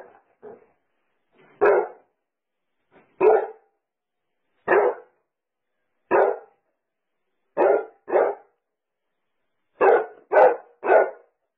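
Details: Barking Basset Hound: about ten full-throated, deep barks, each short and separate, spaced roughly one to two seconds apart. A triple run of barks closes the sequence, and there is silence between them.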